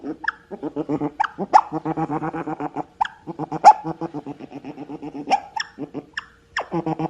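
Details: Otter calls in rhythmic runs of low pulsed chuckling notes, each run broken by short rising squeaky chirps, repeating roughly every second or two.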